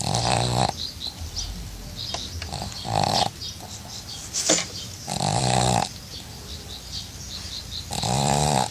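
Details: A pug that grew tired and fell asleep while being bathed, snoring: rough, buzzy breaths roughly every two to three seconds, four strong bursts with rattling harmonics, quieter breathing and faint splashes or drips between them.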